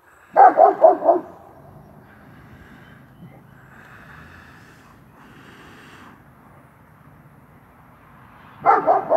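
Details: Working line German Shepherd guarding the yard, giving a quick burst of three deep, hoarse barks, then a long quiet pause with faint background hum before another round of barking starts at the end.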